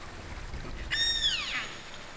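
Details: Killer whale call recorded underwater by hydrophone in Avacha Gulf, Kamchatka, Russian Far East, where each pod has its own vocal dialect; a sudden harmonic-rich whistled tone holds steady, then sweeps downward, over faint low water noise.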